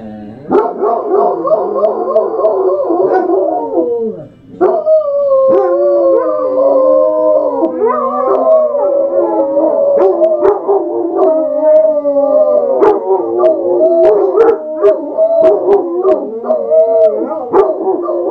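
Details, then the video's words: Three Basset Hounds howl together in long, wavering, overlapping tones that rise and fall; finding: Basset Hound. "Basset Hounds singing the song of their people."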